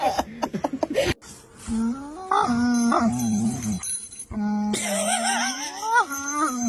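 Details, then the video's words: Domestic dogs howling indoors in drawn-out, tonal wails that slide up and down, starting after a series of quick clicks and short yips; sustained pitch glides overlap, with a person's voice nearby. "ALIEN DOGS! 🐶👽 Sounds like they’re trying to contact space!"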